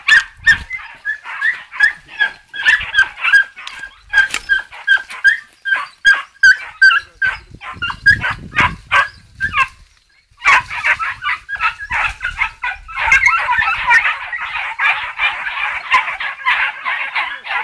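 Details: Maremma Hound puppies, 2 and 3 months old, hunting wild boar, yelp and bark rapidly, several high voices overlapping in an excited, near-constant chorus.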